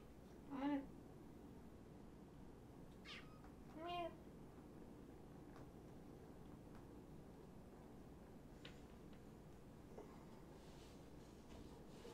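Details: Five rescued kittens from two Tacoma litters at Purrfect Pals, late at night indoors: one sharp meow near the start and a second softer one a few seconds later, then mostly quiet room noise with faint clicks.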